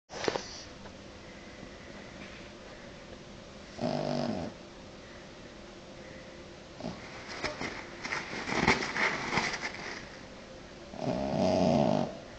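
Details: French Bulldog snoring: rough, breathy snorts and rasping inhalations in uneven bursts, louder near four, eight to nine and eleven seconds, between quieter stretches of noisy breathing.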